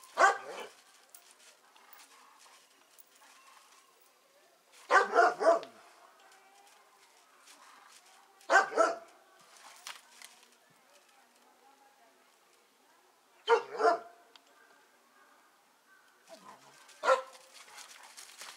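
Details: Doberman Pinscher barking during play and exercise, with short harsh bursts in clusters of two or three about every four seconds, quiet between.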